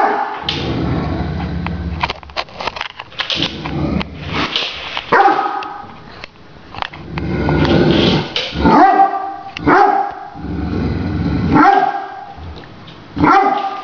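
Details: Great Danes playing with a remote-controlled toy tarantula bark loudly in scattered bursts, several deep harsh woofs with gaps between, over background music and a person talking to the dogs.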